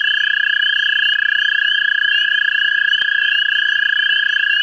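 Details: An American toad seeking mates in a central Ohio vernal pool gives a loud, continuous, rapid trill, an even pulsing buzz throughout. Fainter chirping calls from other frogs run above it.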